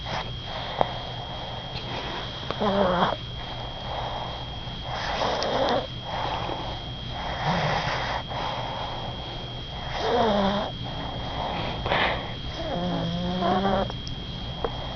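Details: Pet dog named Bubba asleep and snoring: rough, breathy snores come in bursts every two to three seconds, some ending in short rising whine-like tones, over a steady low electrical hum.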